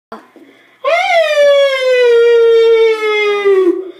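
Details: Dog howling along to a music box: one long sustained howl that jumps up, then slowly slides downward for nearly three seconds, rich in harmonics, after a brief faint sound at the start.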